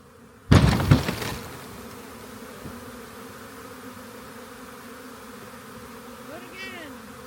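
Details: A swarm of honey bees clustered on the upper part of a walk-in door, found while checking a rain gauge, gives a steady low droning hum throughout. A sharp rustling knock opens the recording, and a brief rising-and-falling whine sounds near the end.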